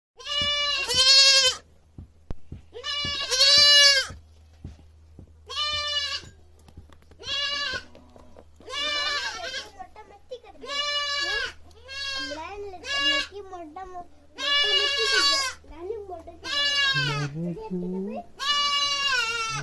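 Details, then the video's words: Young goat kid screaming loudly, a run of harsh, wavering bleats of about a second each, repeated irregularly, some louder and some fainter overlapping calls, with a low steady hum beneath. "Goat Beby Sound Effects Baa Baa Baa || Goat Screaming loudly"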